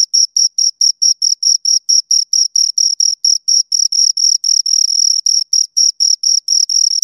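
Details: Rhythmic high-pitched chirps from two crickets, short ringing pulses repeated several times a second, at times running closer together, over complete silence.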